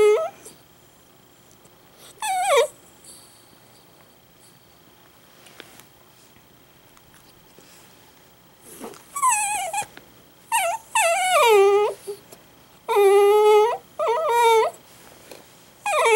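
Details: Loud sudden crying from Ichi, an Italian greyhound kept as a pet: a few early whines, a long quiet stretch, then a run of strained, quavering high whimpers and yelps packed close together near the end.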